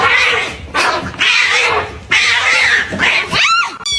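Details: Domestic cat giving a loud, harsh, noisy yowl in several long bursts, ending with a short rising and falling harmonic cry; the recording is dense and indoors-sounding.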